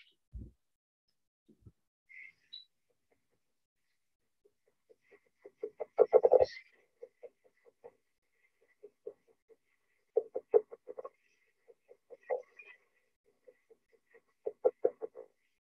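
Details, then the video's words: Two male California red-legged frogs, one farther off and quieter, give low, stuttering, growling chuckles in quick pulsed bursts at a pond on California's Santa Lucia Preserve, with Pacific chorus frogs calling constantly behind. "that's the song of the california red-legged frog and what you'll hear is a couple of males calling one slightly farther away so he's a little quieter"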